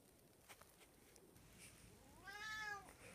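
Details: Black house cat on snow-weary Long Island lets out one drawn, arching meow near the end, rich in harmonics, after a quiet stretch with light tapping.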